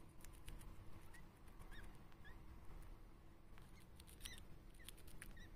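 A Djungarian hamster gives soft, short high squeaks at irregular intervals over faint clicks and rustling.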